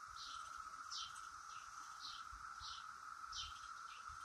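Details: Brood X periodical cicadas flitting around the top of a willow oak: a steady, unbroken droning chorus holds one even pitch throughout, while brief high, down-slurred chirps recur about every half second above it.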